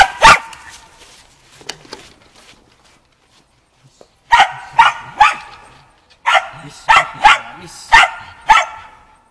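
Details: Shaun, a Shetland Sheepdog, barks during agility training on the dog walk, practising running contacts, 11 November 2013. He gives one sharp bark, then after a quiet gap with faint voices, a rapid series of eight loud, clipped barks about half a second apart.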